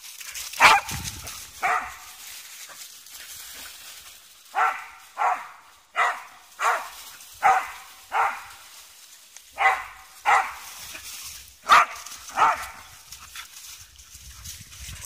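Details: Soft-coated Wheaten Terriers at play in the woods: a steady series of around thirteen short, sharp barks, spaced roughly every half second to a second, over faint outdoor background.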